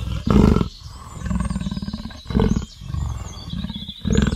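A leopard gives deep, rasping grunts that alternate loud and soft, like wood being sawn.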